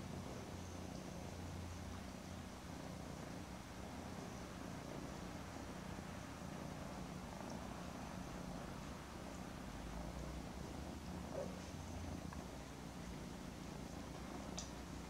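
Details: Mother cat hugging her two kittens, Daisy and Aragon, almost 10 weeks old; a steady, low, continuous purring rumble throughout with faint rustling and a soft click near the end.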